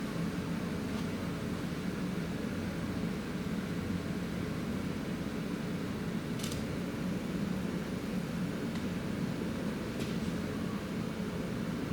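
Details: Steady broadband hum like a fan or distant traffic with a couple of faint clicks, and no animal call.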